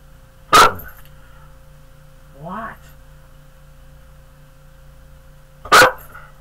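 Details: Pet dog giving two loud, sharp barks about five seconds apart, with a brief rising whine between them; a steady low hum runs underneath.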